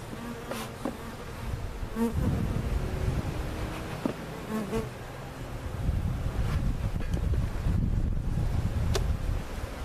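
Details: Relocated cutout hive of honey bees at Jerome Bee Farm in Central Oklahoma, recorded with a Sony camcorder; a thick, low collective hum that swells slightly in the second half, with scattered light taps.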